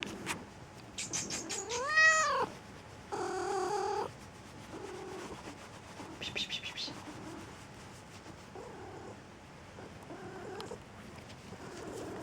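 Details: Pet domestic cat giving a varied run of calls: a loud arched, harmonic meow near two seconds, a buzzy drawn-out cry after it, then several softer, shorter meows spread through the rest, over quiet room background.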